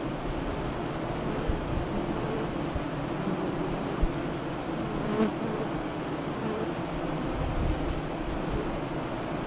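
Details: Honey bees at the west-facing entrance of a hive 5 miles east of Lyons, Nebraska, during the 2017 eclipse, 2:48–3:00 CDT: a dense, steady humming drone, strongest in the low range, with a few faint clicks and knocks.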